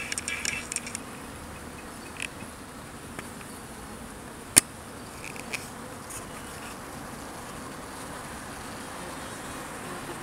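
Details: Honey bees at a beehive feeder built so that no bee drowns: a low, steady, soft hum runs throughout, broken by a few light clicks and taps early on and one sharp knock near the middle.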